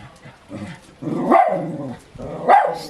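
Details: Male West Highland White Terrier 'talking' with his owner, who speaks Danish to him in a child-like tone with hand gestures. Two drawn-out, warbling moans of about a second each rise and then fall, with the owner's voice between them.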